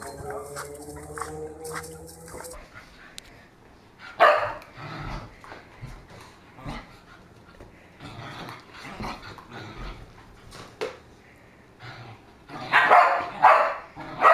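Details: Dogs playing with balloons, a compilation of funny dogs; sharp broadband barks and yelps burst out in irregular clusters, loudest near the start and again toward the end, with rustling and quieter stretches between.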